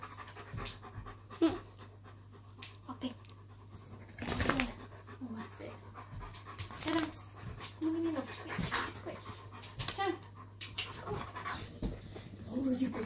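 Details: Shadow the German Shepherd and Poppy the Chihuahua squabble over their owner with irritated grumbling. Scattered short huffs, pants and low grumbles come and go across the stretch, with a louder burst near the middle and a steady low hum underneath.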